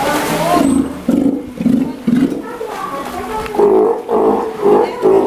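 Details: Steller sea lion aged one year at a Japanese aquarium in Ise, with its family; a run of short, nasal, groaning calls, rising slightly and repeated roughly twice a second, with faint voices behind.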